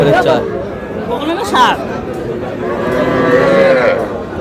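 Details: Young bull and heifer calves at a cattle market in Madaripur, Bangladesh, lowing amid a busy crowd; a drawn-out moo around mid-clip, another softer low call near the end, with steady chatter and bargaining voices throughout.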